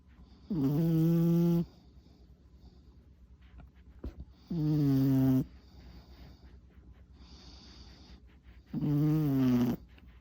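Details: Tuna, a four-year-old male long-coat Chihuahua, asleep and worn out after an hour-long walk, tongue out; three loud, harmonic-rich snores, each lasting about a second and spaced roughly four seconds apart, with quiet breathing between them.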